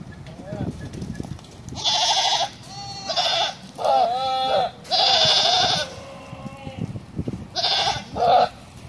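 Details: Nineteen Bishi goats offered for sale, letting out a rapid run of loud, quavering bleats, several long and shaky, others short, with brief pauses filled by low murmurs and background rustling.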